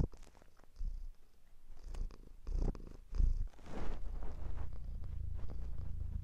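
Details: A low, steady purr from a domestic cat, broken by soft rustling noises and a few louder bumps, recorded very close up indoors.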